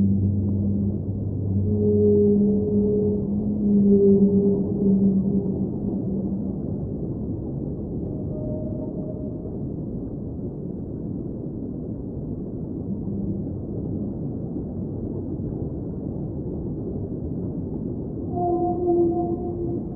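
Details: Underwater whale song with sustained low moaning tones stacked in bands during the first seconds, a brief higher note midway, and a rising pair of clear notes at the close, set against continuous rumbling water noise.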